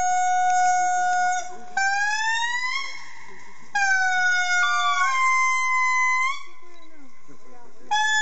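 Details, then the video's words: Indri singing a lament: loud, clear, wailing tones rich in overtones, each held for one to two seconds, stepping and sliding upward between notes, with the pitch dropping back lower between phrases. "Indri singing a lament"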